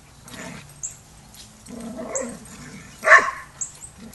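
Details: Dog barking during a young pup named Rammstein's first lesson with the pack at a Border Collie boot camp; soft low grumbles, then one sharp bark near the end, with faint high bird chirps in the background.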